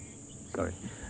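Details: Cicadas keep up a steady, high, shrill buzz without a break, a typical African summer sound on a late-November sunrise safari drive. A brief burst of a man's voice cuts in near the middle.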